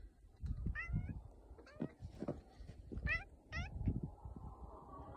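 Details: A barn cat on a farm, out in a snowstorm near the chickens, answers its owner with several short, rising meows spread over a few seconds, partly masked by heavy wind and the owner's voice.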